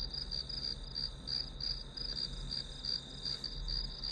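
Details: Grass insects trilling in quick, bright pulses, close to three each second and slightly uneven, used as calming study noise. A low droning hum runs underneath throughout.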